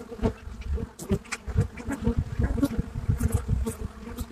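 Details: Buckfast honeybees at the hive entrance in Brittany, France, recorded live: a dense, droning buzz of many bees with a low hum and bands near 200 and 500, pulsing with frequent loud wingbeat bursts as bees pass close.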